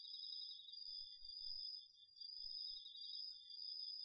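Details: Night chorus of autumn insects, crickets among them, from a garden vegetable patch, recorded with a DR-40X. Two unbroken shrill ringing tones run together throughout, gently swelling and dipping in loudness, with a faint low rumble underneath.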